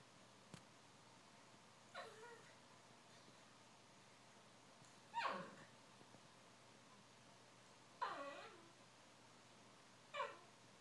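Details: Mo, a male Cavalier King Charles Spaniel, grumpy because he wants to go outside to play, indoors: four short, quiet, high falling whines spaced about two to three seconds apart, over a near-silent background.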